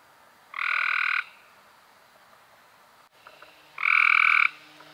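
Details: Cope's gray treefrog in May 2016 giving two fast, raspy trills roughly three seconds apart, each lasting about half a second, over quiet background with a low steady hum.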